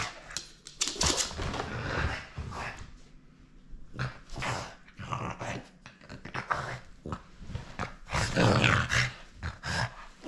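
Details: French Bulldog at play, refusing to give up its toy: rough, noisy growls and snorting bursts come in irregular clusters, loudest near the start and again around eight seconds, with short quiet gaps between.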